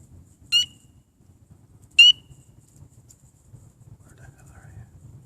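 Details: A tiny common coqui frog (Eleutherodactylus coqui) gives two loud, sharp, high chirps about a second and a half apart at sunset from ivy bushes in a back yard in Atlanta, Georgia; chirps are ear-hurtingly loud up close.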